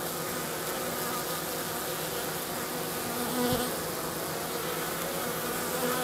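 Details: Honey bees of a hygienic Minnesota strain, south of St. Paul, March 16th, 50 degrees, carrying their dead out of the hive entrance. A steady massed hum continues, with one bee's buzz briefly swelling louder and closer midway.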